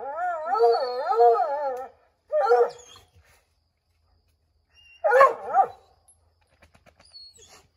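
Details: Redbone Coonhounds Bo, Luke, Lulu, Cooter and Jesse treeing a chipmunk in an oak tree: a long wavering harmonic howl of nearly two seconds, then two short loud barking bursts separated by quiet pauses.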